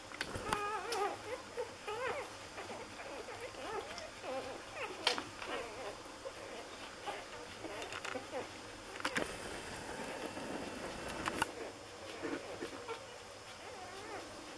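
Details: Newborn Lagotto Romagnolo litter in Hamburg, six days old, keeps up a chorus of high, wavering whines and squeaks that bend up and down, broken by a few sharp clicks and some brief murmured voices.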